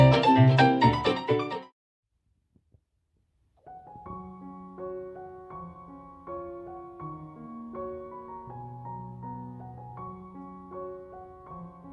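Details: Piano music plays: a loud burst of dense chords, a short silence, then a gentle melody with sustained low notes and no animal voices.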